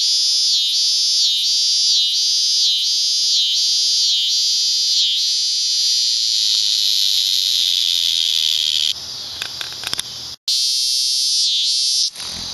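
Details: Cicadas at Lionsgate, early September 2009, so loud it hurt: a shrill throbbing buzz pulses rapidly, then smooths into a continuous drone, broken by clicks of camera handling and a brief dropout near the end.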